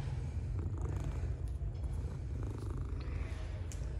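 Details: Purring of a stray cat that approached wanting to be caressed after playing with another cat; continuous low, throbbing purr with a fast pulsing rhythm and only faint rustling above it.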